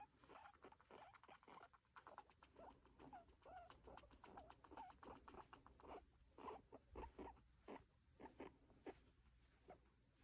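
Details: Pet guinea pig making an unfamiliar call: a quick run of short, clipped squeaks and chuts, roughly two per second, unevenly spaced and fairly soft, with faint rustling in between.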